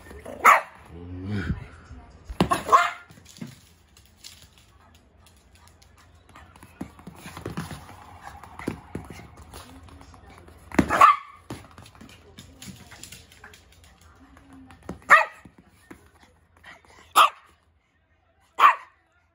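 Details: Poodle playing ball in the morning, giving about six short, sharp, loud barks spread across the stretch with quiet gaps between them, while a person speaks softly in Japanese between the barks.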